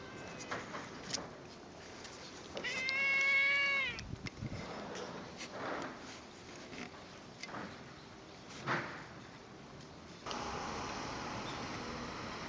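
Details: A stray cat gives a single drawn-out, harmonic-rich meow lasting over a second. Recorded among street and community cats filmed from summer 2016 to winter 2017. Scattered rustles and faint clicks follow, then a steady hiss.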